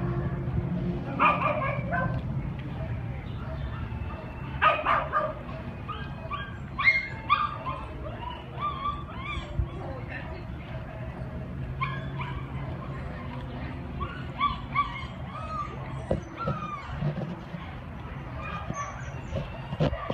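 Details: Dog in the OC Animal Care shelter, a one-year-old male white and tan Chihuahua short-hair and Cairn Terrier mix, recorded 7/8/2015; scattered sharp yips and barks come in bursts over a steady shelter hum, with human voices in the background.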